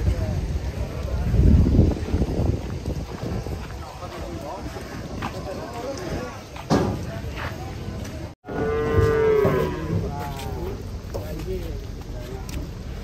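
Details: Agitated cattle being unloaded from a truck, with noisy rumbling and knocks through the first half, then one harmonic moo rising out of the din after a brief break, holding steady for about a second and a half before fading.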